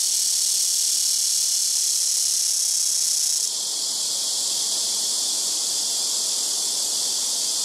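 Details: Blackish cicadas calling loudly from trees by a house rooftop, several trees taking turns: a continuous, intense high-pitched buzzing drone without pauses, slightly shifting in tone partway through.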